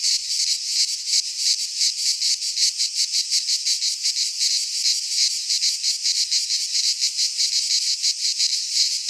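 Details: Cicadas singing in midsummer in a Greek pine forest: a dense, continuous buzzing drone, high-pitched and hissing, pulsing about three times a second without pause, no other animals or voices.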